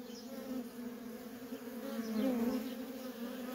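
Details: Dense, even droning of worker honey bees at a feral colony, the hum rising slightly in loudness toward the end.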